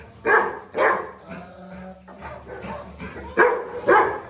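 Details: Dhoni, a Labrador, gives two quick barks, then softer murmuring sounds, then two more sharp barks close together.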